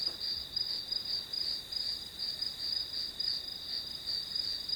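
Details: Background of grass insects for a study session, a constant bright high trill that swells and fades in rapid pulses over a quiet backdrop.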